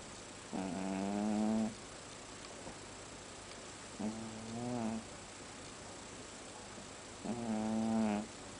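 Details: A sleeping domestic cat snores quite loudly. Three drawn-out, buzzy, nasal breaths, each about a second long, come roughly every three seconds. The room is otherwise quiet.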